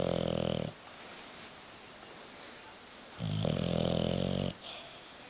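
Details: Bulldog Hugo, asleep on a sofa and unwilling to wake, gives two deep, buzzing snores about three seconds apart, each a rough, low drone with hushed breathing between.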